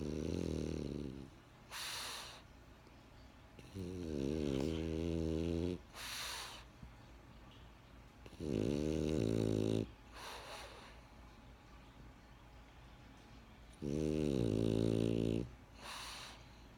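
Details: French Bulldog named Benjamin asleep, giving four long, rattling, low buzzy snores on the in-breath, each followed by a short airy hiss, about every four seconds.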